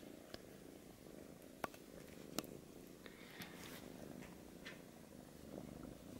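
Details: British Shorthair kitten trying to get milk from a Siamese male cat, indoors; steady, soft low rumbling purr running throughout, with a few sharp clicks and faint rustling over it.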